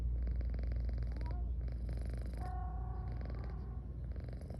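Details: Continuous low, throbbing purr from Garfy, a drowsy female house cat yawning repeatedly, heard up close; brief faint tonal squeaks rise above it midway.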